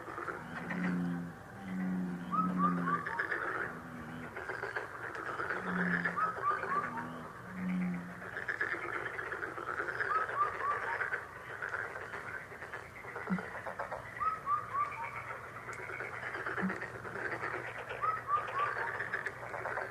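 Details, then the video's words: Frogs chorusing, called a lucky frog sound: a buzzy pulsed chorus with deep, hollow croaks bunched in the first eight seconds. A short falling whistled phrase returns about every four seconds. "행운 개구리소리 The sound of a lucky frog"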